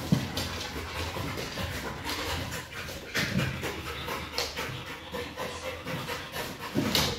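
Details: Pet pit bull Kral pants in rough, airy breaths while tackling a Pilates ball. Scattered clicks and scrapes of paws and ball mix with the breathing.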